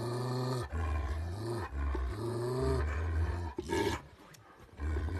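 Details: Kangal dogs confronting each other in a dominance struggle; deep, sustained throaty growls come in long bursts with short breaths between, ending in a harsh snarl and quieter rumbling.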